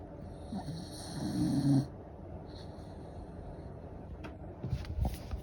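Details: A sleeping Corgi snoring indoors: one low, rough, drawn-out snore swells in the first two seconds, followed by quieter breathing and a few short snorts near the end, with a steady high electronic whine in the background.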